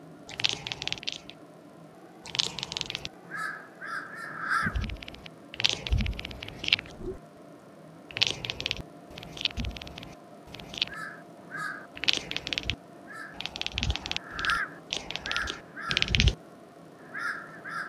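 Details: Devon Rex cat making its machine-gun chattering noise at crows, repeated bursts of fast, stuttering clicks through the whole stretch, interleaved with harsh cawing from nearby crows.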